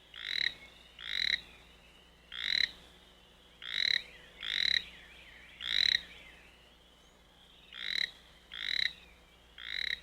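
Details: Toad croaking song: ten short raspy, nasal bursts over ten seconds, some in quick pairs and others spaced about a second apart, with faint overlapping trilling from other callers between them.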